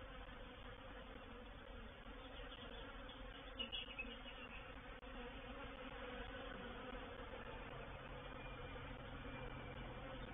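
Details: Reproductive honey bee swarm moving into a bait hive, 04/07/21: constant layered droning hum from many bees, a brief louder buzzing burst near four seconds, then a steadier low tone joining toward the end.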